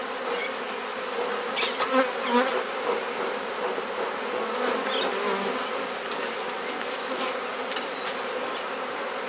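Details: Honey bees humming steadily as a beekeeper inspects the hive and swaps frames in a Mosman Park garden, Perth, Australia; the low drone carries clustered clicks of handling in the first few seconds.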